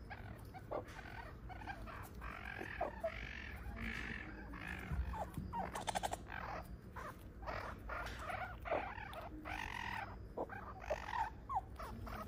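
Meerkats give a steady stream of short, nasal, harmonic calls that rise and fall in quick succession.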